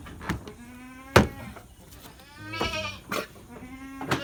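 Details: Short tremulous bleats from goats kept at a livestock farm in Lhokseumawe, Aceh, Indonesia, with sharp clacks and thumps from the pen between calls.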